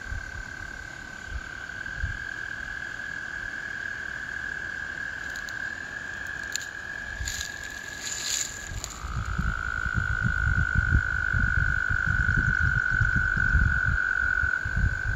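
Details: American toads calling in spring: a long, steady, high trill holds for about nine seconds, then a slightly lower trill takes over and continues to the end, over low rumbling wind-like noise.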